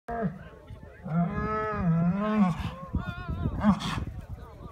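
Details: Cattle mooing at a 2016 cattle event, a long drawn-out harmonic moo rising and bending over about two seconds, followed by a shorter call, with voices in the background.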